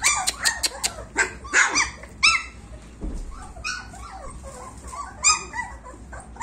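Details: German Shepherd puppies, 26 days old, give scattered short yelps and bent whines between pauses, with sharp clicks at the start and soft rustling noise underneath.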